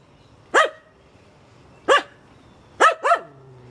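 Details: Finnish Spitz barking while treeing birds that landed in a backyard tree: short sharp high barks, single ones spaced over a second apart, then a quick double bark; quiet background.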